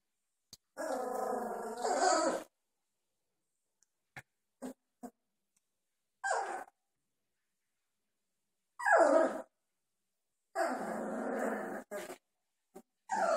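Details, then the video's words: Doberman puppies, 2.5 weeks old, playing together and growling constantly after just discovering they can; low rumbling growls in long bursts of one to two seconds with short grunts between and quiet pauses. "Doberman puppies playing, 2.5 weeks old"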